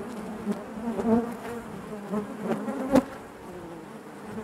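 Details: Dense droning of honey bees within the hive, low and continuous, punctuated by a few louder buzzing bursts from bees flying near, the strongest close to the end.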